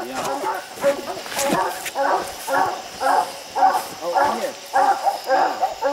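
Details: Dogs treeing raccoons on a slick hillside keep up steady, evenly spaced barks nearly twice a second, while a man's voice talks over the start of the chorus.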